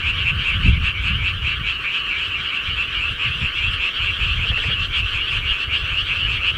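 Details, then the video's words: Countryside frogs at night in Korea, a thick unbroken chorus of fast trilling croaks layered together, over soft low-frequency rumble and occasional faint thumps. "시골개구리 소리"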